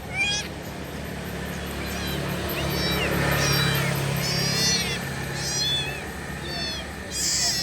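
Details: Kitten mewing repeatedly in quick, thin, high calls, some overlapping, amid a loud broadband hiss and a low hum.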